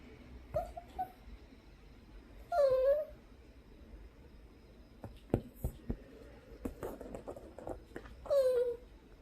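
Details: Coco, a pet poodle indoors, makes strange whining noises because it is not allowed onto the sofa. A short squeak comes at the start. Two loud, high, falling whines follow near three and eight seconds, with soft tapping and clicks between.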